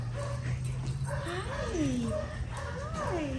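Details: Greater Swiss Mountain Dog reunited with its owner, giving a run of high, sliding whimpers that rise and then fall in pitch, several in quick succession, while people greet it with excited talk.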